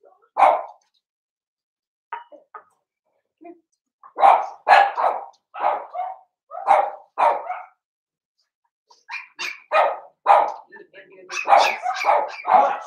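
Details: Blenheim Cavalier King Charles Spaniel puppies, five littermates kept in a puppy pen at home; sharp barks at irregular intervals, first sparse, then steady yapping about twice a second, ending in a busier overlapping flurry.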